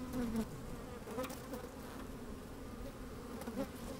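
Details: Honey bees at work in an opened hive, sunny day with some wind; a louder buzz opens, then a steady hum with a few short sliding buzz notes and light clicks.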